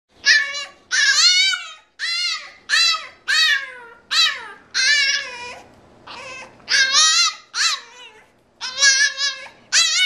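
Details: Frankie, a French Bulldog, whines when not allowed out to play: a steady run of high, wavering, harmonic-rich whimpers, each about half a second long, rising then bending down, in a small indoor room.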